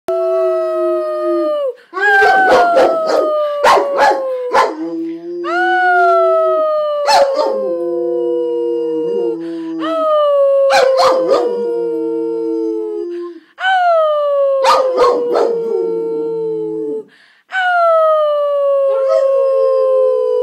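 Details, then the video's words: A male Rottweiler howls back at his owner in long, sliding notes that start high and fall, with a person's voice overlapping; Rottweiler. "Rottweiler howling"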